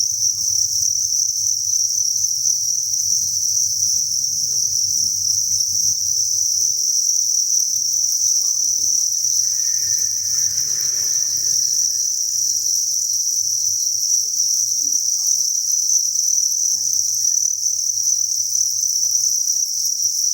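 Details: Thousands of crickets at a cricket farm chirp together in a continuous bright, high drone; midway a brief faint rustling burst sounds, and a low steady hum runs throughout.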